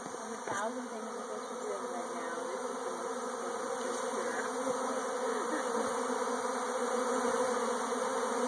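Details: Swarming bees: a dense, steady, buzzing hum that builds slightly in loudness, with a few faint higher chirps and squeaks over the drone.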